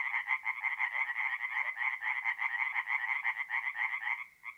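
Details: Singing tree frogs at a forest pond at night in mid-April, north-east Italy; steady rapid rasping croaks from several frogs that fade out near the end, leaving a few last separate calls.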